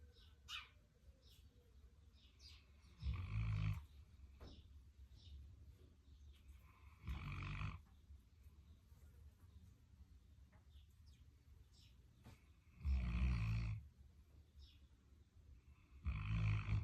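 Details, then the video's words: A Central Asian Shepherd Dog (alabai) snoring indoors: four deep, rumbling low snores about three to four seconds apart, each lasting roughly half a second to a second, with quiet breathing between them. "Алабай Бублик храпит"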